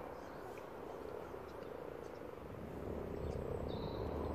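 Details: Over a hundred common frogs spawning together in a garden pond, a dense, steady purring chorus of low croaks blending into a continuous rumble, with faint bird chirps above.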